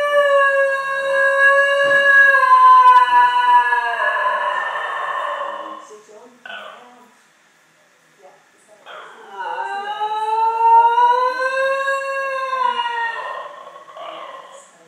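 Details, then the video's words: A Basenji gives two long, wavering howls, each rising and falling in a yodel-like, musical tone, howling along to a quiz show's countdown clock. "Basenji howling to Countdown clock"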